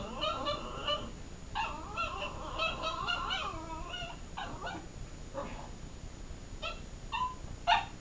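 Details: A female Miniature Pinscher makes warbling, whiny 'talking' sounds, rising and falling in short bursts, trying to wake her sleeping Chihuahua brother.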